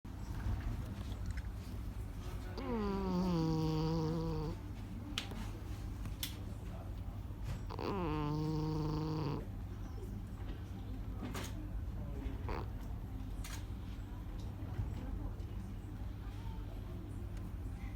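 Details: Cat snoring while asleep: two drawn-out nasal snores, each about two seconds long and slightly falling in pitch, separated by quieter breathing, over a steady low indoor hum.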